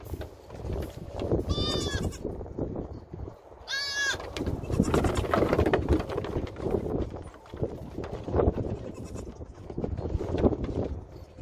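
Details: Nigerian Dwarf show goats at the Blue Cactus Dairy Goat Ranch, investigating a hidden camera: two short, wavering, bright bleats about two seconds apart, set against heavy close rustling, bumping and nosing noise at the microphone.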